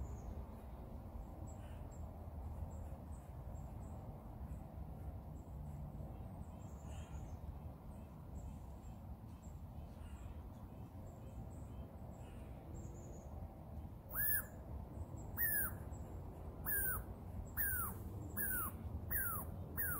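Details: A baby Douglas squirrel on a tree gives sharp, downward-sliding squeaks about once a second over a low outdoor rumble.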